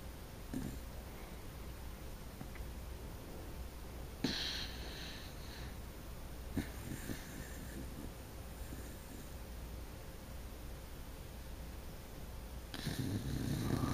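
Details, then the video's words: Sparky, a wire-haired dachshund, snoring indoors: soft wheezy breaths and sniffs at an uneven pace, with sharper snorts breaking through now and then and a louder stretch of heavy breathing at the end over a low steady hum. "Sparky snoring"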